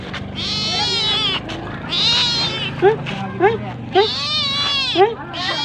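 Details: Cat begging for food, giving drawn-out high meows that waver in pitch, with short quick rising chirps squeezed between them near the end.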